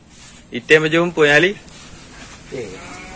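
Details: Aceh cattle in a simple traditional shed in Indonesia, a cow newly moved there the day before and stressed by the change: two loud, harmonic, bawling moos in quick succession, then a fainter short one, with a man talking nearby.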